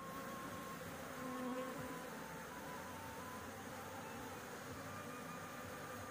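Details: Honey bees at a nest on a house roof during a honey harvest; brief low droning buzzes of passing bees rise and fade over a steady broadband hiss.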